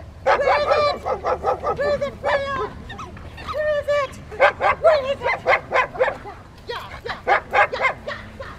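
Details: Rottweiler barking during obedience training with distraction at Victoria Rottweiler Club on May 2, 2021, with Freya, Poncho and Peaches present: a rapid run of loud, ringing barks, about two per second, broken by a short pause, with faint voices behind.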